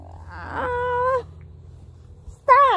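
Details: Four-month-old Toy Poodle puppy whining twice: a level, sustained tonal cry, a pause of about a second, then a second whine that begins abruptly and dips in pitch, with a faint steady hum underneath.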